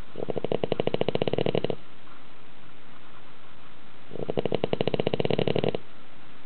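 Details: A dog asleep in a tilted house snores as loudly as a grown man: two long, buzzing, rattling snores of about a second and a half each, separated by a quiet pause.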